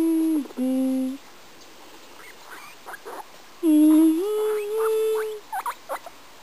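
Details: Pet guinea pig singing a little song: two long steady whistled notes, the second stepping upward, with short squeaky rising chirps scattered between them in a quiet room.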